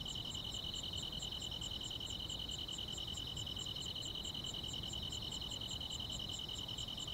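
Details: Grass insects on a summer night: a steady, high ringing trill runs unbroken through the clip. Over it, sharper chirps pulse evenly about two and a half times per second. Faint low rumble underneath.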